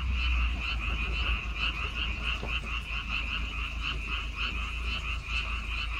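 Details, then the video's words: Frogs chorusing in rice fields on Baengnyeongdo Island, South Korea: a dense, continuous croaking chorus with bright bands around two to three thousand, steady throughout, with low rumbling background noise beneath. "백령도 논에서 우는 개구리 울음소리"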